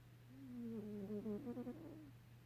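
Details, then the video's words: Sleeping pet cat making a soft, low, drawn-out sound with wavering harmonic tones that break into short pulsed bursts near the end, over a steady low hum. "LOUD snoring kitty"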